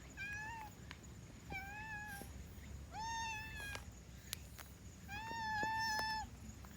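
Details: Black-and-white domestic cat giving voice while yawning: four drawn-out, nasal, meow-like tones, each slightly wavering and lasting under a second, spaced over several seconds, with faint clicks and a low room hum.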